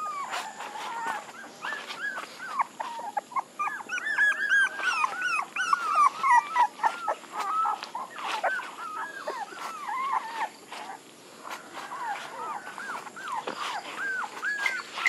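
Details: Several puppies whimpering and whining together, overlapping high arched cries in quick succession, some rising and falling, with a steady faint background hiss.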